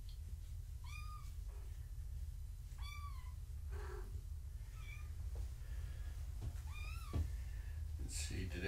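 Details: Foster kittens of a family's mother cat meow during an indoor weigh-in: about four high, arched meows with rising-then-falling pitch, spaced a couple of seconds apart, over human speech and steady room noise.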